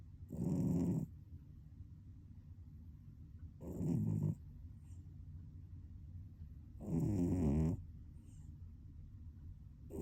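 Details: Domestic cat snoring while asleep, likened to a middle-aged man in a cat's body; low, rasping snores about a second long recur roughly every three seconds, with quiet pauses between breaths in a small indoor room.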